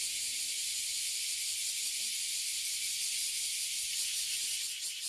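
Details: In Toyohashi City, Japan, a treeful of abura zemi and kuma zemi (oily and bear cicadas) keeps up a loud, continuous sizzling drone, high and even, with a few faint low murmurs beneath.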